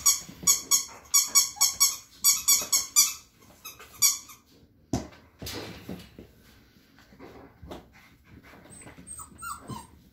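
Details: Five-week-old Standard Poodle puppies inside a room during potty training give high squealing whimpers in rapid pulses for about four seconds, then quieter rustling, thumps and faint squeaks.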